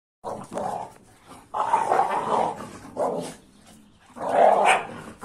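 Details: An AmStaff and a Kuvasz, two dogs, play roughly together, giving harsh growling bursts and gruff barks in three main pulses of about a second each, separated by brief quieter gaps.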